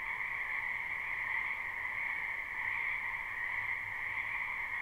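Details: Live spring recording of a frog chorus in a wetland. Countless callers trill continuously in a steady high ringing wash, and a faint low rumble comes and goes beneath it.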